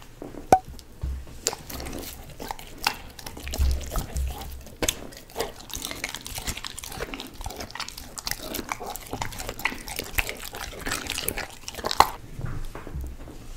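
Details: German Shepherd named Bane eating dog cookies and human foods indoors: wet chewing, crunching and smacking mouth sounds in irregular bursts, with occasional sharp clicks and soft breathing throughout.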